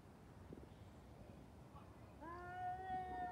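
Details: Fighting cats: after a quiet stretch with faint knocks, a sustained harmonic yowl begins and holds steady, slightly wavering, to the end.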